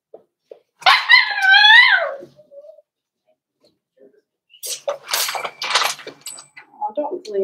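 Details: Four-week-old Cavalier King Charles Spaniel puppies in a home puppy pen on the day they meet other dogs and try puppy mash: one long, wavering, harmonic whine lasting about a second, followed by human voices and scattered puppy noises.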